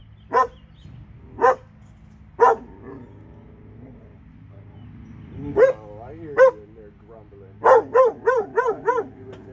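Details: Dogs in Alabama, two of them, give spaced single barks about a second apart, then after a pause a faster run of rising, wavering barks; a faint voice and low hum sit in the background.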